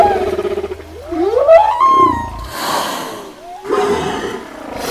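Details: Whale; song; communicating with the pod, calling young, marking prey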